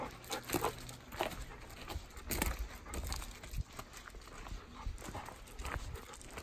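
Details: Golden Retriever, ten years old, panting steadily on the walk to a field: rhythmic breathy puffs repeating roughly every half second, with faint outdoor background noise.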